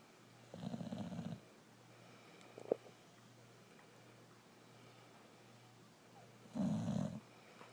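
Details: Brindle Boxer named Rokko snoring while asleep: two broad, rough breaths around 0.5–1.4 s and 6.5–7.2 s, low and throaty with a steady hum underneath, plus a faint click in between.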